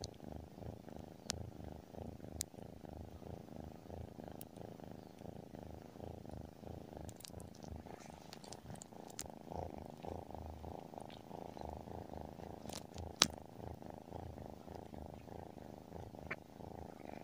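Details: Drowsy tabby cat Sky purring steadily indoors, an even, buzzing low rumble with regular pulses throughout, with only a few faint ticks and clicks over it.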